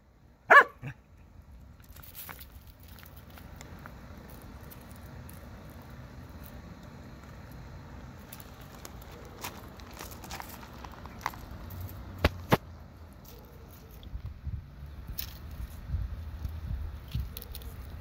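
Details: Henry the Corgi facing a praying mantis lets out a single sharp bark right at the start, then stays quiet while soft rustling, low background hum and a few sharp clicks fill the rest of the stretch.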